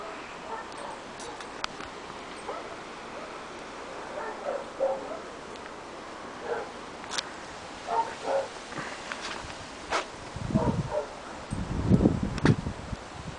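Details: Three male Staffordshire bull terrier puppies, seven weeks old, playing in a garden; scattered short yips, whimpers and small barks at irregular intervals, louder bursts near the end, with soft background noise.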